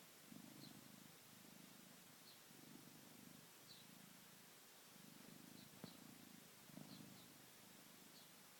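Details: Sleeping pet cat purring and snoring: steady low purr in regular pulses roughly every second and a bit, with faint soft ticks above.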